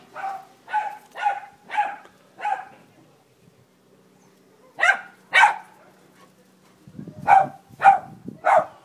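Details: A shelter-adopted female Jack Russell-Fox Terrier cross tells off a Labrador with bursts of loud, clipped barks: five in quick succession, a pause, two more, then four, with a faint low rumble near the end.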